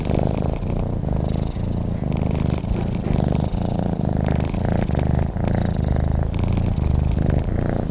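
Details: Continuous low purring from a sleeping cat, the rumbling pulses alternating inhale and exhale phrases at an even pace, heard up close in quiet surroundings.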